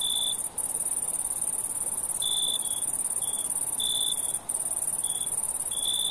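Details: ['Crickets at night: a steady, very high shrill trill runs throughout, with a second, lower caller adding short bright chirp bursts every one to two seconds, and two brief dropouts.']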